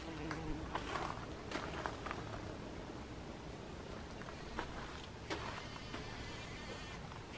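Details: A bee buzzing inside a poppy flower gives a low, droning buzz that wavers in loudness, with a few soft clicks and rustles.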